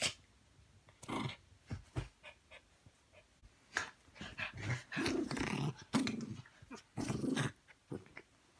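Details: Male Pomeranian playing rough with the other dogs in a small room: quiet low growls and snarls in short bursts, loudest in the second half, with a person praising him.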